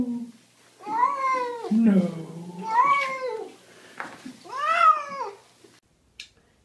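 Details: Pet cat meowing during a bath: a low moan followed by three louder wailing meows, each arching up and down, with a faint voice murmuring in the gaps.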